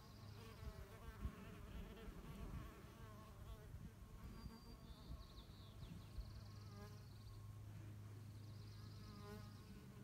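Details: Mason bee females at work gathering mud for nests, their wings giving a wavering, humming buzz that rises and dips as they move, with occasional brief high thin tones behind.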